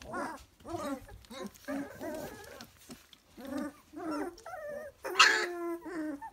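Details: Three-week-old Dalmatian puppies whimpering and squealing in short, harmonic, wavering bursts, several in quick succession, ending in a louder, higher squeal.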